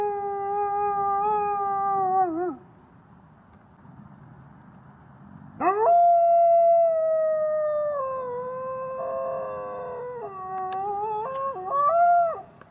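A gray wolf gives long, smooth howls that hold steady, then slide down at the end.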